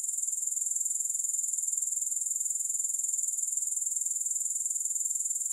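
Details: Unbroken, even grasshopper trill: a thin, high, rapidly throbbing buzz with steady rhythm and volume throughout, nothing else heard.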